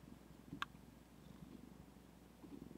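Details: Zephy, a sleepy female house cat lying on a computer desk, purring; a low, even, rapidly pulsed rumble continues throughout, broken by a single sharp click near the start, with quiet indoor hum.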